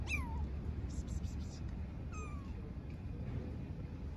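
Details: Homeless street kitten in Istanbul meowing for its mother, two high, downward-sliding cries about two seconds apart against a background of low city noise.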